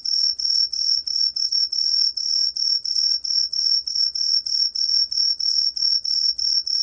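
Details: Rapidly pulsed high chirping of an Aomatsumushi tree cricket, recorded in 2020, about three bright ringing pulses per second throughout, with faint low rumble behind.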